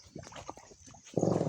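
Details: Free-roaming native pigs kept untethered in the province at Claveria, Burias Island, wallowing in water like carabao because of the heat; soft scattered snorts, then a loud, harsh, rasping grunt in the final half-second.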